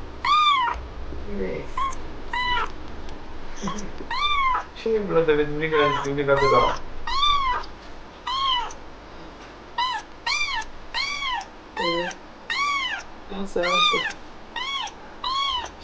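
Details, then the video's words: A jealous kitten sulks indoors after its owner showed interest in another cat, giving a long run of repeated short arched meows about once a second, with a person speaking Korean in places. "My jelous kitten got sulky when I was interested in another cat!"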